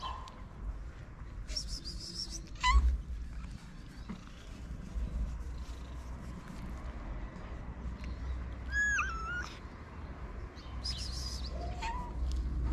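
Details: Hungry homeless street cats in a Moroccan town, fed daily, give a few separate meows, one short rising cry, then a bent wavering call and a lower one near the end, over steady low street rumble and scattered clicks.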